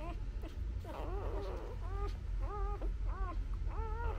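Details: Newborn Labrador Retriever puppies nursing on their mother give a string of arched, whining squeals, each rising then falling, about every half second against a low rumbling background.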